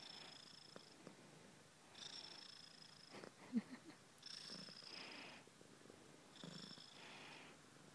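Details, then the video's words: Kitten named Kisa purring, the soft rumbling purr swelling in breathy phases roughly every two seconds, each swell carrying a faint airy hiss. "Kisa kitten purring"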